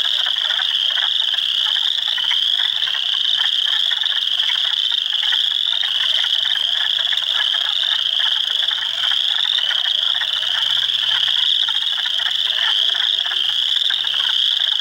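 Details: Swamp at Heartland Forest, Ontario, on April 2, 2022, filled by hundreds of spring frogs, Spring Peepers, Wood Frogs and Eastern Chorus Frogs among them; constant piercing peeps blend with rapid rasping trills in a continuous wall of sound.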